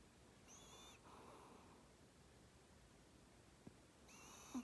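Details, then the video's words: Maltese dog asleep, giving a high wheezy snore on the in-breath and a hushed breathy release, then another whistling inhale a few seconds later, with faint background hiss. "말티즈 코골이"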